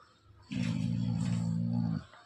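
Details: A Labrador Retriever gives a low, steady rumbling growl lasting about a second and a half, apparently stubbornly refusing to give up something it holds as its owner asks for it.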